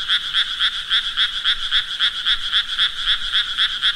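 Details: Frog croaking: a steady run of raspy, buzzy pulses, about four per second, roughly fifteen in all, even in loudness, with no other animals or noises.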